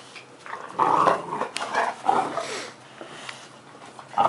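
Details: Puppy playing under a pool table indoors, giving low rough growls in bursts across about two seconds, then quieter, with a sharp bump at the end.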